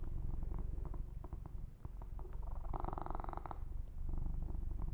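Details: Young male cat purring as he is massaged, a dense low vibrating purr with a louder stretch of fur rubbing about midway.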